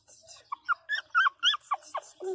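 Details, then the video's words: Loud crying from Pinscher puppy Teco: a rapid string of high, wavering whimpers and yelps, roughly eight to ten in two seconds, some rising and others falling, in a quiet room. "Filhotes de cachorro pinscher chorando"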